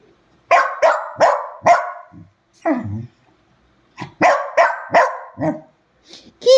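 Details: Two pet dogs in a night-time quarrel, as they do every night: a run of sharp, loud barks in two bursts, about nine in all, with brief low growly grumbles between them and a woman scolding nearby.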